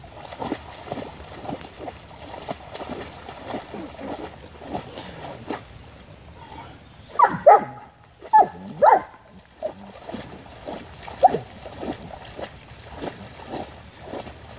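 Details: German Shepherd dog playing in puddles, splashing rhythmically in the water, then a burst of several sharp high barks and yelps in the middle, followed by more splashing and one further yelp.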